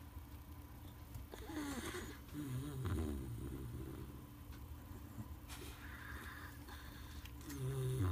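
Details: Fourteen-year-old miniature dachshund asleep with its head resting on a chair leg, snoring in low rumbling breaths with slow rhythmic swells, faint background noise throughout.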